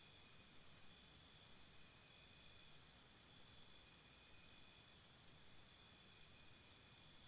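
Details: Crickets at night beside a campsite, a steady high shimmering chorus of several callers holding even bands with no clear pulses, faint higher trills drifting in and out over a low hiss of background noise.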